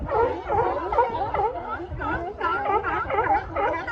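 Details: Sea lions bark and honk in a dense, overlapping chorus of hoarse, harmonic calls on the coast at Monterey, California, near Cannery Row.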